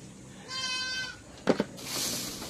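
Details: Backyard farm goat calls in the morning before release: one wavering, strongly harmonic bleat of about half a second, followed by sharp clattering knocks and a burst of rustling noise.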